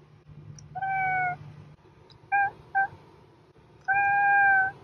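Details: A domestic cat gives a drawn-out meow, then two quick clipped mews close together, and ends with a loud, sustained meow, all over a faint background hum.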